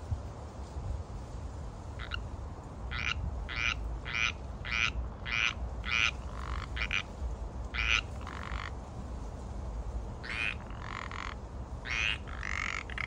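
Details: Pacific tree frog (Pacific chorus frog) in the San Francisco Bay Area during mating season, giving short two-part croaks at irregular intervals, roughly every half second to second, over a steady low rumble of background noise.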